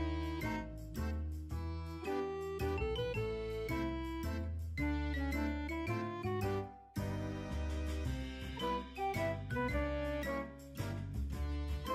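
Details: Cheerful keyboard and bell music with a bouncing bass line, briefly cut near the seventh second, and no animal sounds.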